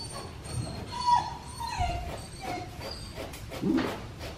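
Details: Black tri male puppy whimpering during a bath: thin, high whines that slide downward in pitch, a few short drawn-out cries over a soft background hum of running water and handling noise.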